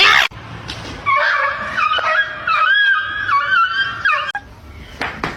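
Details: A kitten meowing indoors: one long, drawn-out, wavering mew of about three seconds that rises and falls in pitch, framed by sharp clicks and handling knocks before and after.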